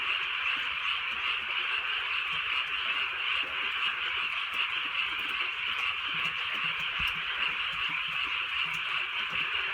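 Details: A constant chorus of frogs croaks through a rainy countryside night in Korea. Overlapping callers form a continuous buzzing band, with sharper notes surfacing irregularly and light rainfall sounding underneath.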